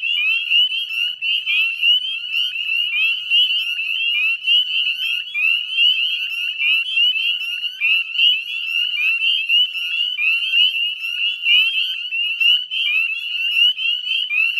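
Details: Spring evening at the Chezzetcook salt marsh, Nova Scotia, Canada, 18 May 2020 at dusk: a full northern spring peeper chorus, piercing upward-sliding peeps from numerous frogs merging into a ceaseless high-pitched ringing.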